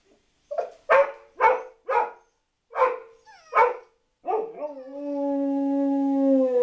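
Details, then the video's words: Dog gives a run of sharp barks at a brisk pace, then draws out a long, steady, tonal howl that holds one pitch to the end. "dog howl"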